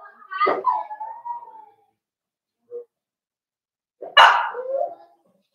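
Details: Cavalier King Charles Spaniel puppies, four weeks old, indoors in a puppy pen at Red Barn Cavaliers during socialising and feeding; a long tonal whine that slides downward and holds, a tiny squeak, then a sharp yelp trailing into a lower whimper.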